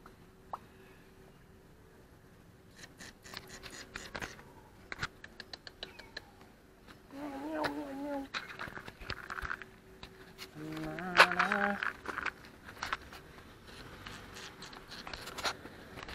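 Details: Homeless stray cats that refuse dry food, meowing: one drawn-out, wavering meow near the middle and a second shorter, rising meow a few seconds later, over frequent clicking, rustling and handling noises.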